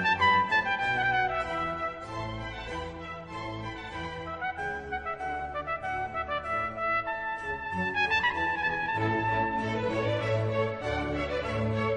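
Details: Orchestral music fills the whole stretch, with brass and string lines over a steady low accompaniment and no animal voice.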